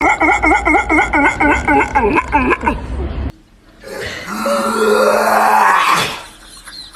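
A dog makes odd, wavering yodel-like vocal sounds, then a drawn-out rising whine.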